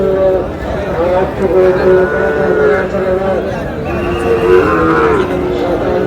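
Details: Sahiwal breed bull calves at a crowded cattle market in Bangladesh, 18 June; long, droning moos overlap, some bending downward at the end, over constant chatter of buyers and sellers.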